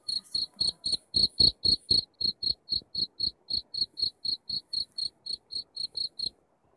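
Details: Cricket chirping meant to repel rats indoors: bright, high-pitched chirps pulsing roughly four per second, loudest near the start, continuing steadily before stopping abruptly just before the end.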